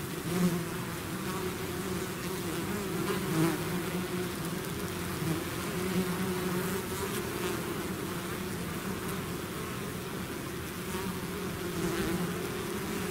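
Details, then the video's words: Swarm of bees out of its hive, a dense steady buzzing drone of many overlapping wingbeats with a low hum and faint wavering tones, continuous throughout without pauses. "bees therapy swarm natural buzzing sound"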